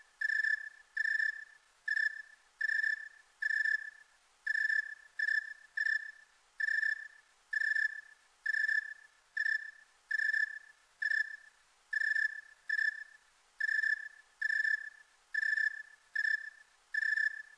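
A snowy tree cricket gives steady, mellow chirps, one after another at a slow, even pace.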